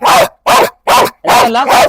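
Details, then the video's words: A female dog, whose long teeth are pointed out, gives about five gruff barks spaced near half a second apart, the last two running close together. "Dog challenge"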